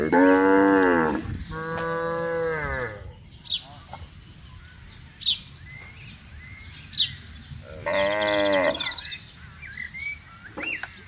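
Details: Cows roaming freely in a vast palm oil plantation while being herded; three loud harmonic moos, two long drawn calls back to back then another near eight seconds, with brief bird chirps in the quieter gaps.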